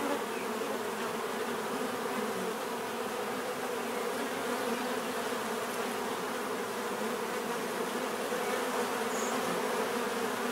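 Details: Bees humming together in an unbroken, thick buzz of stacked tones, steady in loudness, with a faint brief higher whine late on.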